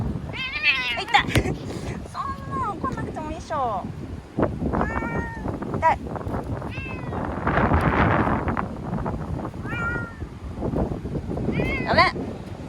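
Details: Ear-tipped community cat in Okinawa crying while confined in a bathroom for shelter from a strong typhoon, September 2020: bursts of wavering, rising-falling meows, with human voices, thuds and rustling in between.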